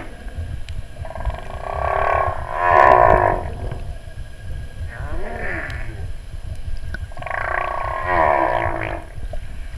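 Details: Whale song recorded underwater on 14 August during a sound-only water entry: drawn-out, wavering moans and groans in repeated phrases.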